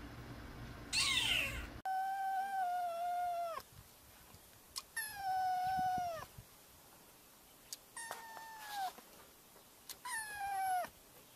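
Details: Kitten calling for attention with long, drawn-out meows that hold level and then drop at the end, four in a row a second or two apart, after a brief harsh burst at the start. The room is quiet between calls.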